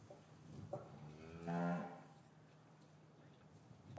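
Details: Cattle in an English cattle yard on a winter's afternoon, calves separated from their mothers; a single low, harmonic-rich moo swells for about half a second mid-clip, with quieter lowing and faint yard rustle around it, captured on a matched pair of Rode M5 microphones.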